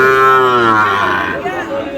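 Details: Deep, harmonic-rich moo of Sahiwal cattle at a cattle market trading bulls and heifer calves in Barishal; one long low call sliding slowly downward for over a second, then fading into voices of traders bargaining.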